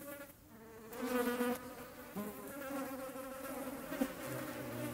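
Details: Hornet hunting flies, Eifel, Germany: wavering buzzing wingbeats that rise and dip in pitch, a louder burst after one second, then a deeper drone settling in toward the end.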